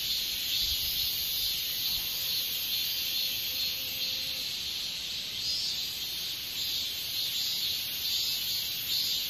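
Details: A katydid, likely Hexacentrus japonicus japonicus, gives a steady, high-pitched buzzing trill that runs without a break.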